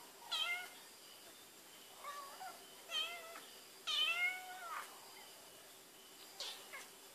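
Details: Barbie Choc, a cat sniffing out Whiskas in a search pattern, 12 May 2013: irregular plaintive meows, one long and drawn-out with a falling tail, others short and curved, separated by pauses with faint hum behind.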